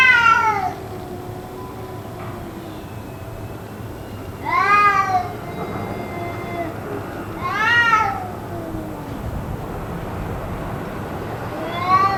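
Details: Cats in what may be a fight, calling on and on for around two hours; three loud rising-then-falling yowls arrive a few seconds apart, with faint lower moaning and dull background noise in between.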